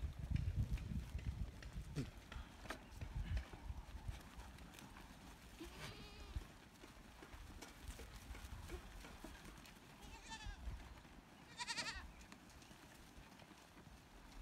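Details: Farm goats returning from pasture, being counted, give a few wavering, nasal bleats over a low rumble of movement and voices.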